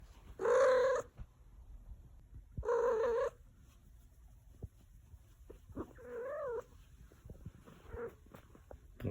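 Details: Domestic cat making the single sound it ever makes: loud, drawn-out harmonic meows about half a second long, spaced a couple of seconds apart, with softer wavering mews between them in a quiet room.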